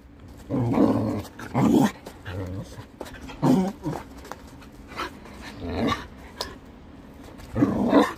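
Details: Shetland sheepdog excitedly playing with a cat teaser toy, indoors: about five short, rough, growly barks in separate bursts spread irregularly over eight seconds, with quiet gaps between them.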